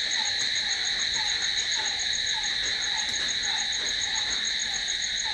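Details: Night-time crickets: an unbroken high shrill trilling holding steady throughout, layered over a fainter, lower short chirp that recurs roughly every half second.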